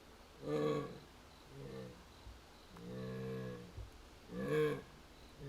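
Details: Jaguar Yuuki, Higashiyama Zoo and Botanical Gardens in Nagoya, recorded 21 October 2025 after the keeper left for other work, seemingly searching; four moaning, tonal calls, the third longest and steady, spaced roughly a second apart.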